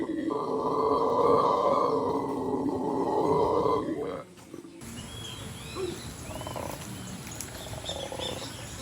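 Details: Venezuelan red howler monkeys, a male and female pair in treetops on the Venezuelan Llanos, communicating in a way the locals liken to a big cat, including when mating. A loud, droning, roaring howl lasts about four seconds, then cuts to quieter background with chirping birds.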